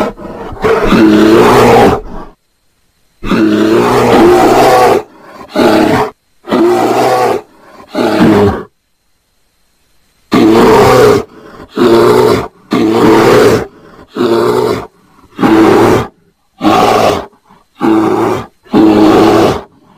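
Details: Mating bear producing a rapid series of about a dozen rough, moaning roars, each half a second to two seconds long, with a longer pause midway and sharp silences between bursts.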